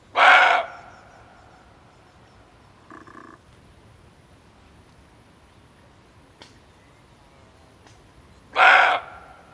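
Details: Male barking deer, offered as hunting lure audio: a sharp, rasping bark, a faint brief note around three seconds, then a second loud bark some eight seconds after the first.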